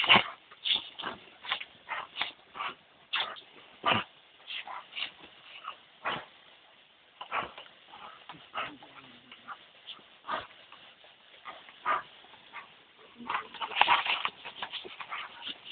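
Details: Dobermann pair, a two-year-old and a seven-year-old, playing with a hose on a very hot day; rapid yips and whimpering barks repeated roughly every half second, busier near the end, with light background chatter.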